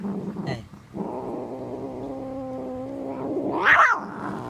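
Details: A male domestic cat making weird noises after being given a piece of bread: a drawn-out, low, wavering yowl with a growling edge lasts about three seconds, then rises into a short, louder cry at the end.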